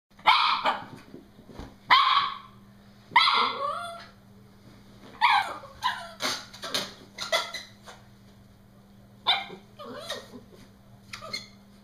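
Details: Norfolk Terrier playing with a balloon, shrieking at it: loud, harsh high-pitched shrieks and yelps in bursts, some drawn out and falling, about a dozen over the span with quiet gaps, a low steady hum underneath.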